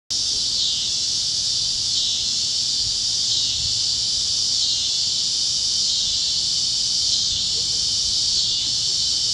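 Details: Cicadas chirping at sunset over fields in Kansas on the great plains, a dense, steady high-pitched buzzing drone that holds unbroken throughout, with faint low rumble beneath.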